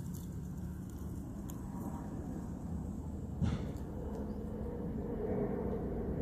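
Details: Outdoors at a dog park, a low continuous traffic rumble fills the air, broken by a single short knock midway, with no barking or other animal calls.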